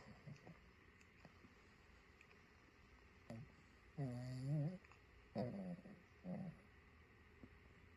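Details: Luna, a pug, asleep indoors and snoring: a few low, buzzy, rasping snores, the longest about three-quarters of a second, then two shorter ones roughly a second apart, over a quiet room hiss.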